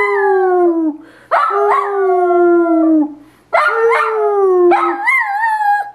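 A Dachshund howls in long, tuneful notes that start high and slowly sag in pitch.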